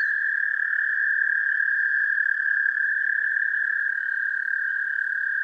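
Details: American toad singing, captured using an amplified mono parabolic microphone connected directly to a DSLR camera: one unbroken, even, musical trill at a constant high pitch lasting the full five seconds.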